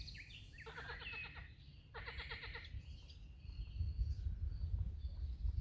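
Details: At a pond carpeted in green on an early morning hike, a frog answers with two quick pulsed croaks, coarse and rattling, about a second apart, with bird chirps above and a low rumbling noise building afterwards.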